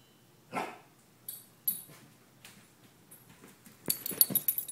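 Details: Nietzsche, a 15-month-old Weimaraner, reacts indoors to a crow landing on the skylight: one loud bark, then scattered shorter barks and bursts of scuffling and clatter in a small room.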